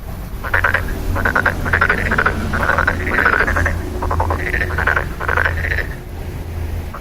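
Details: A dense chorus of frog croaks: rapid pulsed rattling notes follow one another almost without a break over a constant low hum.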